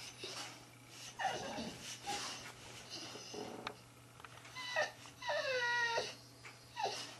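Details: Boxer dogs Brandy and her son Romyto, the son wanting the other tennis ball: breathy snuffles followed by short bending whines, with one longer wavering whine near the end and a low hum underneath.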